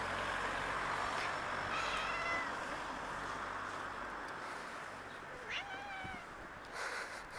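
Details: Street cats, a black cat and a white cat, with the black one wanting something from the white one; faint, drawn-out meows rise over a steady hum of background noise, with brief human voices nearby.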